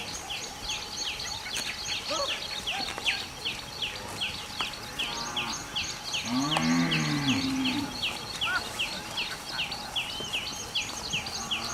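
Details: A cow grazing while walking into the forest in mountain country lets out one long, deep, harmonic moo that rises then falls, lasting about a second and a half. Birds chirp busily and rapidly all the while, with a constant background hum.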